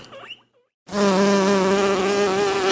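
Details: Honey bee droning in a steady, loud buzz with a rich, even hum lasting about two seconds, starting abruptly after a short, quiet stretch.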